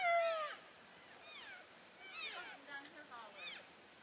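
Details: Elk herd moving from one grazing area to another on February 3, 2012, keeping in touch as they travel: several high, squealing mews sliding downward, some overlapping, about four calls within four seconds, with quiet pauses between.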